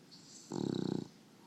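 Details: Female English Bulldog snoring in her sleep, one half-second rattling snore with a rapid fluttering pulse, framed by quiet breathing.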